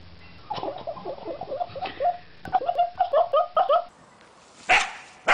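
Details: Dog yapping, a rapid run of small, high, light barks, somewhat irregular, followed by a pause and two loud, harsh noise bursts at the end.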